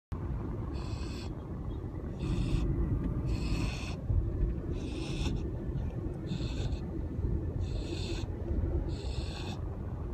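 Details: A sleeping Siberian husky named Luna, filmed 10 Aug 2015, snores "like a pig": rhythmic, breathy, hissing rasps about every second and a half over a steady low background rumble.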